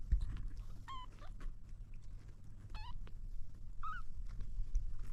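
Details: Kitten trying to drink milk gives three short, high, clear mews spaced one to two seconds apart, each with a slight bend in pitch, over a steady low rumble.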